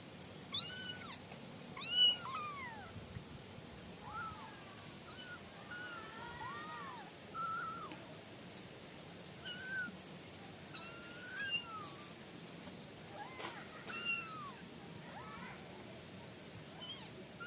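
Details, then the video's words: Kittens, five littermates in a cardboard-box pen, mew repeatedly, roughly forty-odd calls a minute at an uneven pace, high bent cries sometimes overlapping, two louder calls at the start, against faint steady hiss. "suara kucing 5 bersaudara"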